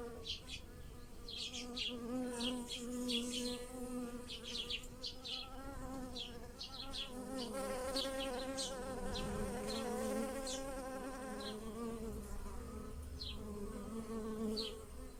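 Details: Bees buzzing over blossoming lilacs in a garden while pollinating them, a steady, droning hum with a low harmonic buzz, overlaid by high, chirping bird calls.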